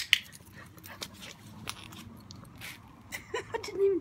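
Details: Blue Great Dane named Steele Grey, during his first lead and clicker training lesson, gives a short thin whine near the end, with a person praising and giving commands and scattered clicks and handling noises.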